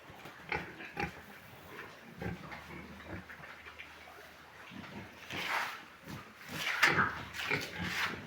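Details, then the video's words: Large White pigs on a farm: scattered short grunts at first, then louder, harsher, drawn-out squeals and grunts that crowd together toward the end. "large white pigs"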